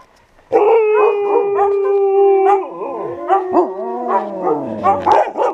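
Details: Kennel Siberian Huskies singing, a long steady howl held for two seconds joined by other voices, then falling, wavering howls and rising yips from several dogs overlapping.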